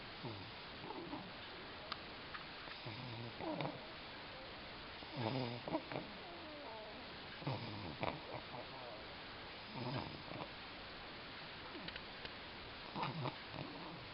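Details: A puppy snoring: soft, raspy, breathy bursts that recur about every two to three seconds over a steady background hiss.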